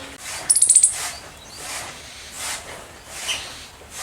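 An Indian palm squirrel gives a quick burst of very high, sharp chirps.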